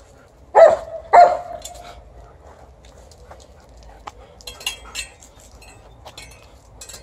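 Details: Alaskan Malamute reacting to a rake it dislikes: two short, sharp, mid-pitched woofs about half a second apart, then faint scraping and rustling sounds.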